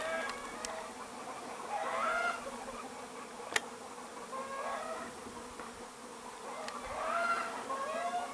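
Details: Bees on 13 July 2015: a steady low droning hum with layered overtones runs throughout, while brief chirping and whistled sweeps rise and fall around it, and a sharp click lands near the middle.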